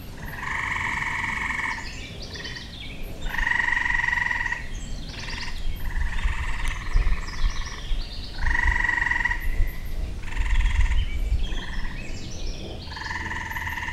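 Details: Tree frogs in a springtime backyard giving a chorus of long buzzy trills, each lasting one to two seconds and repeating every few seconds, several overlapping callers, with a constant low rumble beneath.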